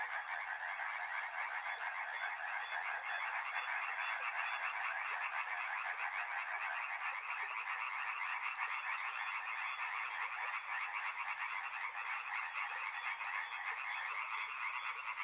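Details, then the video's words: A riverside frog chorus: countless croaking voices merge into a continuous, even, rasping wall of sound, while a fine high-pitched buzz switches on partway through and carries on to the end. "Frog Sounds | Soothing sounds of river and frogs"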